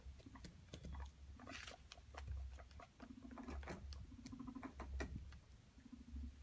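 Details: Guinea pigs, a male courting two females, make low, buzzing purr-like notes in short bursts amid soft scratching and pattering.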